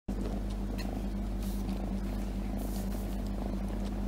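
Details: A domestic cat purring on its owner's lap, recorded up close: a steady, low, even drone that continues without a break, with a few soft rustles from handling.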